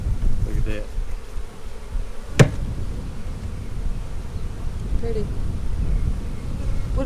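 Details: Buzzing honey bees on frames of a March 4 split during an April 15, 2017 hive inspection: a continuous low drone broken by one sharp click, with faint voices.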